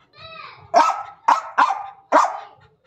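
A German Spitz gives four sharp, high, angry barks in quick succession.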